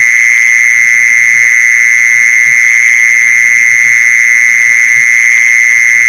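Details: Lure sound of a mole cricket, heard as a constant high-pitched churring tone without breaks, steady in loudness, with faint low knocks underneath.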